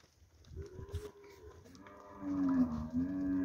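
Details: Young Nelore heifers, ten months old, from a group of 22 near Fernandópolis, São Paulo, Brazil; two low tonal moos, the second longer and steadier with a slight waver, over faint background thumps.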